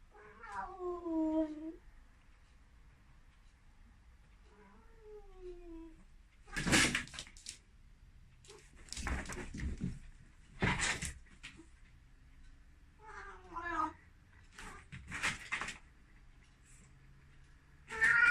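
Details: An excited Ragdoll cat running around and meowing loudly. Several drawn-out, falling meows are broken up by loud bursts of thumping and rustling as the cat dashes about indoors.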